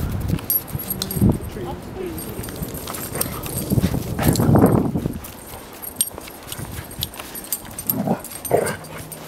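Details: Frankie, a Doberman adopted from the Edmonton Humane Society, plays with Piper, a golden Lab puppy: brief whiny squeaks early, a rough drawn-out growl mid-clip, then short yelping bursts near the end, with human voices and scuffling throughout.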